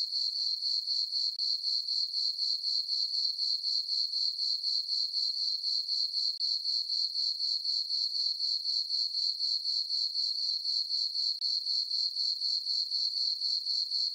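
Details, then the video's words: On a dark summer night under a full moon, meadow crickets on a farm trill without pause: sharp, high, bell-like pulses in a fast even beat, about four each second. "Cricket chirping sounds for sleeping"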